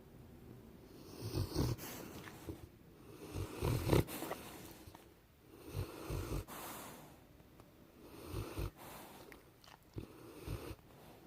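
A Rottweiler snores in slow, rumbling breaths, each low rasping snore coming roughly every two to three seconds.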